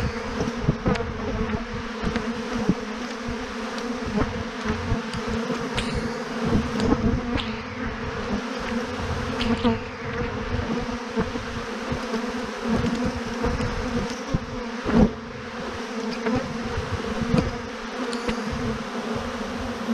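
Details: Thousands of honey bees clumped on a branch as a swarm produce a sustained deep buzzing hum for the full stretch, steady in level, punctuated by occasional clicks and one louder knock midway.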